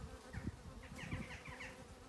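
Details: Honeybee swarm clustered on a substantial branch at a farm in County Kilkenny, Ireland: a low, uneven buzzing hum with soft pulses, plus faint higher chirping notes in the background.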